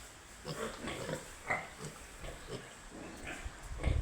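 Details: Piglets grunting in short, rough bursts about twice a second, each grunt a brief snort with a squeaky edge, and one sharper squeal near the middle.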